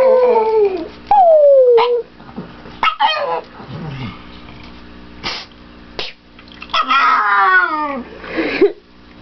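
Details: Pet dog Victoria greets her owners arriving home with happy howls: long descending wails, short yelping breaks, and a final strained rising-falling howl, with household noise between bursts.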